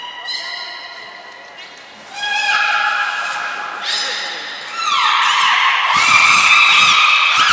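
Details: At Port of Nagoya Public Aquarium, November 1, 2020, belugas Hodoi, Taanya and Mirai train in captivity; stacked harmonic whistles, some rising, grow louder and overlap into a dense chorus of squeals.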